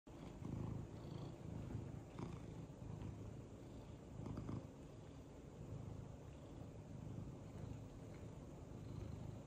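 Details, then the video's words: A happy male pet cat purring while doing head tilts: a steady low rumbling purr with soft pulsing swells throughout, indoors, with faint rustling. "Purring boi does cutest head tilts"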